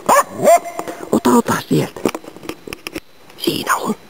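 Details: Finnish Spitz hunting waterfowl and game birds in Inari, Finland, autumn 2010, giving a quick run of short, yelping barks with ringing tails, then a brief pause and a final louder burst.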